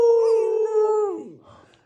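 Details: A 14-week-old female Rottweiler puppy, helped by her family and her dog brother, tries one of her first howls: brief and steady, sagging slightly in pitch, then breaking into soft, ragged whimpers as it fades.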